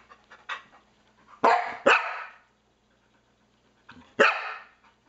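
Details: Domestic Norwegian Elkhound barking at a game console pointer on screen; soft huffs, then two loud harsh barks in quick succession, a pause, and another pair of barks, room hum underneath.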